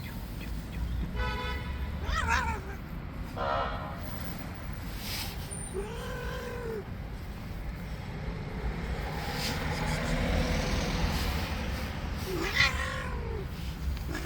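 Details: An angry white cat in attack mode gives two drawn-out, arching, moaning meows several seconds apart. Traffic rumbles steadily underneath, and a short horn-like toot sounds early on.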